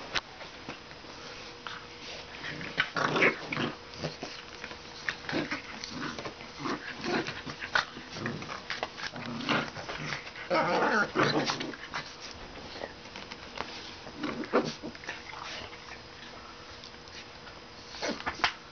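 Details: Two Pit Bull-Shar Pei mix puppies play fighting indoors, giving scattered short growls and yelping bursts in irregular clusters, busiest around three and eleven seconds, with scuffling noises between.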